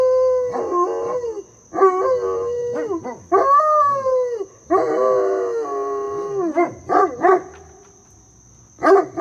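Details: : Great Pyrenees mix teaching his brother to howl; indoor dogs give long, wavering howls in bursts, some gliding up and down, others broken into short yips, with pauses between, over a steady high electronic whine.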